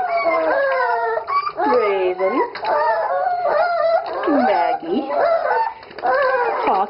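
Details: A Dachshund in the bath howls in repeated drawn-out wails, each bending up and down then dropping, with short pauses between them and a voice speaking in the background.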